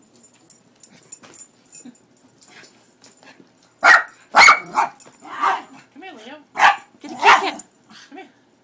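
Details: Leo the dog, frightened by a cat image printed on a cat food bag, lets out several loud, harsh barks spaced about a second apart while a person speaks between them.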